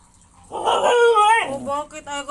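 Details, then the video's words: Siberian Husky arguing during a morning routine at home: one loud, drawn-out, wavering vocal cry rising and bending in pitch for about a second, followed by softer trailing moans, with a brief human exclamation nearby. "HUSKY ARGUING"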